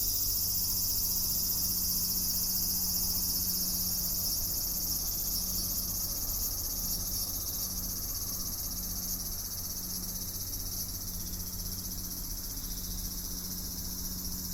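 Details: Unbroken shrill cicada chorus, a bright sizzling drone in several high layers that fades only slightly toward the end, with a steady low hum underneath.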